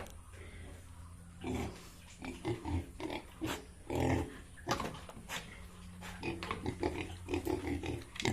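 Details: Farmed Yorkshire and Hampshire pigs in Bongaigaon, Assam, grunting in short, low bursts scattered through the recording, over a steady low hum with clattering and faint voices.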